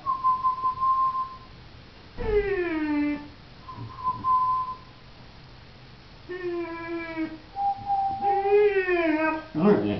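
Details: Leo, a pet pointer, sings indoors on command. Drawn-out harmonic howls fall and waver in pitch, alternating with a steady whistled tone, while a voice urges him on.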